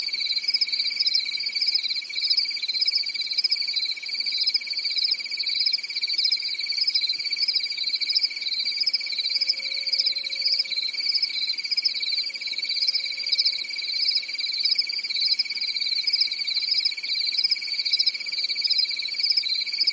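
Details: Crickets chirping on a calm summer night in a European forest: a steady, shrill, high-pitched trill that throbs in a gentle, even rhythm with no pauses, over a faint, low background hum.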